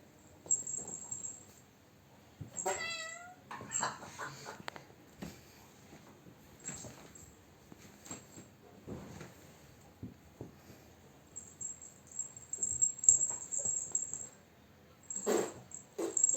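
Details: Domestic cat being teased, letting out one drawn-out falling meow with stacked harmonics early on, then quiet indoor shuffling, sniffs and light clicks, with a steady high electronic whine throughout.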